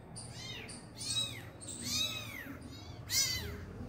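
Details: Kitten meowing near its injured mother cat as she finally feeds it; high, arched meows in three main calls, fairly faint against a low background hum.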